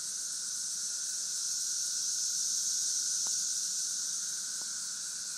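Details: Cicadas recorded in St. Louis in 2011: a dense, continuous high-pitched hissing drone that holds steady through the whole stretch, with a fainter buzzing band beneath it and a couple of brief clicks.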